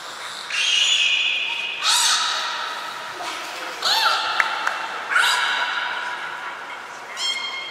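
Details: Captive belugas Nana, Mirai and Niko during a training session at Port of Nagoya Public Aquarium on 11 January 2021: bright harmonic whistles, some steady and some swooping up and down, in several separate bursts.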